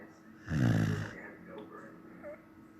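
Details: Sleeping Samoyed gives a single low, rumbling snore lasting under a second, layered with stacked buzzy tones, then quiet breathing with faint voices murmuring in the background.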